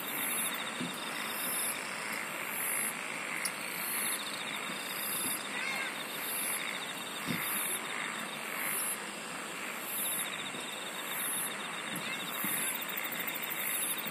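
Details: Chorus of insects with regular, very high buzzing bursts roughly every second, a continuous fine trill, a few short sharp clicks, and dense background hiss.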